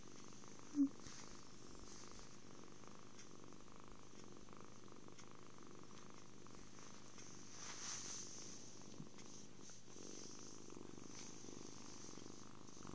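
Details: Purr of a contented kitten recorded with an Android phone amid cuddles, feeding and sleep; a quiet, even low drone continues the whole time, broken by a sharp tap at the start and faint rustling later.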